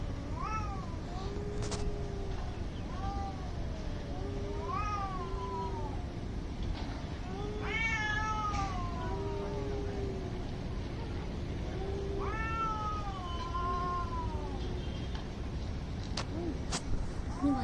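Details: Angry cats in a standoff fight, giving drawn-out wailing yowls that rise and fall, one voice high and one lower and steady, trading calls over constant low background rumble.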